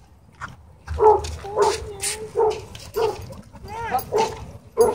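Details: Dogs at a dog park where play turns into a dogfight: a run of sharp, tonal barks with rising and falling yelps, about two per second, and faint voices behind.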